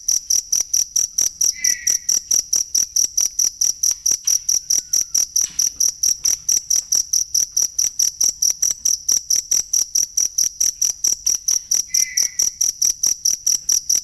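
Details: Cricket chirping for songbird training: loud, steady high-pitched pulses repeated about twice per second throughout, with a strong ringing tone and upper harmonics; two brief faint rising notes appear near two and twelve seconds.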